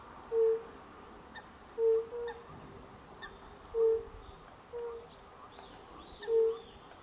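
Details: European fire-bellied toad (Bombina bombina), recorded in late March 2024, gives soft, low hooting notes repeated every second or two.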